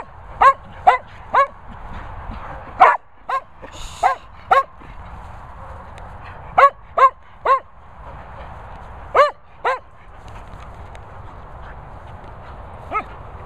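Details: Cocker Spaniel Daisy scolding another Cocker Spaniel, Finlay Foxall, with about a dozen sharp, high barks fired in quick bursts of two or three, separated by brief pauses, against a low constant rumble.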